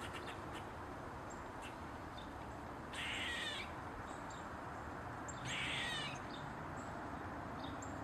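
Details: An Eastern gray squirrel gives two harsh, raspy barks a couple of seconds apart over a steady background hiss, while standing on a mushroom.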